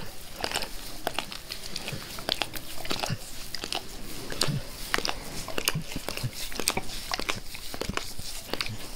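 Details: Max the dog licking his owner's face in a small indoor room, the licking growing gentler as he is petted: dense run of quick wet clicks, smacks and crunchy mouth sounds repeating rapidly throughout.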